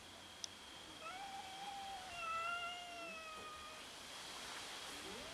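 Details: Several overlapping drawn-out cat meows as domestic cats fight each other over food, sustained wailing tones with clear harmonics lasting about three seconds, followed by a brief rising mew, with a steady background whine.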